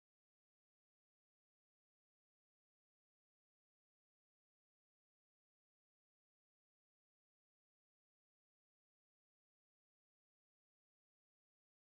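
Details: Complete silence from start to finish.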